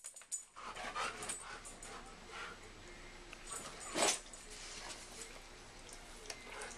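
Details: A German Shepherd and a Siberian Husky in a rough play fight: steady panting and soft whines, one sharp louder yelp partway through, and scrabbling movement noise throughout.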